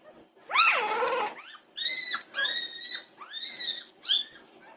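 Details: Several Norwegian Buhund puppies crying out at 2:30 am, June 8, 2021: a long wavering whine that rises and falls, then four drawn-out, high, slightly falling yelps about half a second apart.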